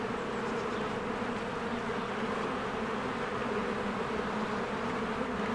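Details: A springtime beehive swarms with worker bees coming and going. Their combined wingbeats form a thick, unbroken droning hum with no pauses and an even loudness throughout.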